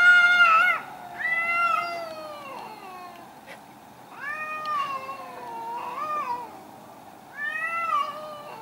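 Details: Garden fight between two angry cats: a series of harsh, wavering yowls and drawn-out moaning wails, rising and falling in pitch, with short pauses between outbursts.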